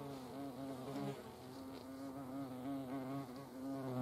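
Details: Several hornets at a feeding place in Germany's Eifel give a constant, fairly quiet droning buzz with layered overtones, the pitch wobbling gently as they hover around the food.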